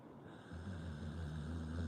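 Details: Sleeping Pit Bull snoring: a low, rough, droning rattle that swells in after a brief hush and holds steady to the end, with faint steady hiss behind it.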